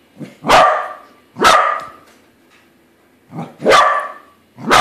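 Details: Pet corgi barking at a corgi-shaped balloon it has just discovered is not real: four loud, sharp, husky barks, about a second apart, with a short pause before the last pair.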